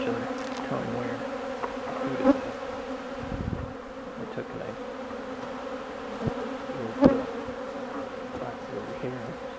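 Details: Honeybees feeding on old comb, a steady layered hum of many wingbeats with a few sharper clicks and bumps throughout.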